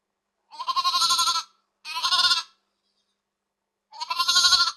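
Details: Sheep from a flock in a countryside field bleating: three quavering, wavering bleats, each about a second long, separated by short silences, with the last bleat strongest, with no other sounds.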